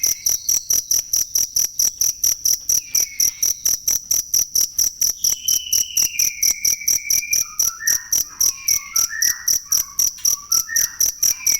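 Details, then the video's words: Cricket chirping for training songbirds. Sharp, high, evenly spaced pulses repeat about twice a second throughout. Faint whistled bird notes rise and fall underneath. "ASLI SUARA JANGKRIK BUAT MASTERAN BURUNG"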